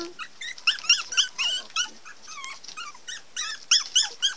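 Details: Baby Pomeranian puppies at a Pomeranian kennel give rapid, high-pitched squeaky whimpers, several each second.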